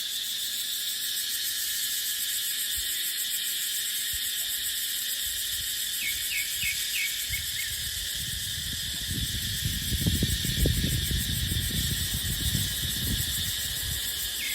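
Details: Cicadas in a dry dipterocarp forest during the dry season drone as a steady, hissing high-pitched wall of sound. A few short chirps from another creature come through around the middle, and a low gust of wind rises near the end.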